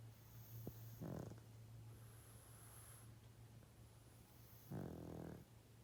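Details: Sleeping male pug, 12.5 years old, snoring loudly: two rasping breaths about three and a half seconds apart, the second longer, with a faint buzzy tone in each, over a steady low electrical hum.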